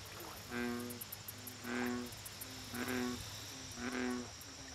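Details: Four deep, harmonic croaks from an American bullfrog at a lake, each about half a second long and spaced about a second apart, with rhythmic insect chirping and a faint low hum behind.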